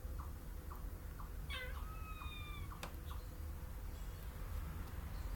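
A squirrel gives short, evenly spaced chips and one drawn-out, slightly falling whine over a low rumble.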